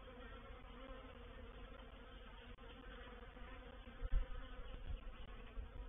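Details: Honey bee reproductive swarm moving into a bait hive, or swarm trap, at Painted Peacock Manor on 04/07/21; a faint, steady low hum with soft tonal bands and a few dull knocks near the end.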